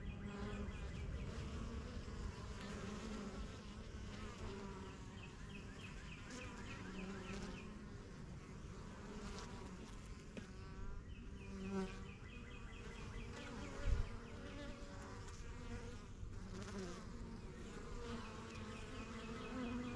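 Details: Honey bees from a first-year backyard hive, the strong yellow box started spring 2023, with workers flying in and out; a full, even hum throughout, overlaid by several trilled bird phrases and one brief knock.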